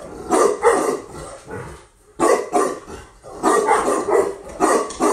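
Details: Newly imported female Tibetan Mastiff from Russia gives short clusters of two or three loud barks separated by brief silences.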